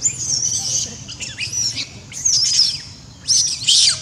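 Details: Small monkey crying loudly and scared after a hard, painful bite from another monkey; shrill, high-pitched screams in uneven bursts, several sliding downward, with short quiet gaps and a low background hum.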